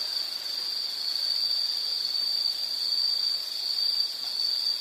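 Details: Insect calling as a relaxing nature sound, a steady high-pitched continuous trill holding one shrill tone throughout, with a faint broad hiss beneath and no other clear sounds.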